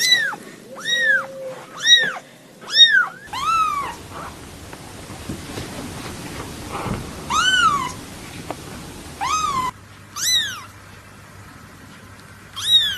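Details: Newborn kittens meowing in a compilation of separate recordings: high, arched harmonic mews repeated in quick bursts, with abrupt cuts between segments and a faint background hum.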